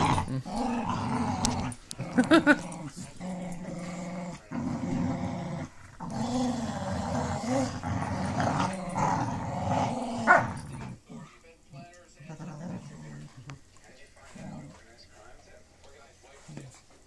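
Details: Pit Bull Terrier named Lucy growling while playing tug with puppy Clyde, letting him win as she rolls onto her back; low rumbling growls in bursts through the first ten seconds, then quieter shuffling, recorded on a phone in low light.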